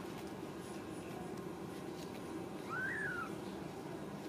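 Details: Ragdoll cat at a home cattery in central Kansas, where kittens are raised and socialized without cages; a single short mew rises and then falls, lasting about half a second, over a constant low mechanical hum.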